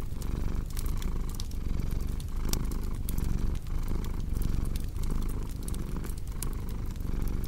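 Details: Domestic cat purring steadily, a low rumbling drone that swells and dips with each breath roughly every 0.8 seconds, overlaid by sharp pops and crackles from a fireplace.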